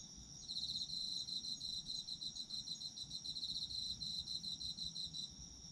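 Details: Autumn insects heard as a sleep ambience: a chorus of crickets with a steady high shimmering trill and rapid pulsed chirps running almost throughout, over a soft low rumble.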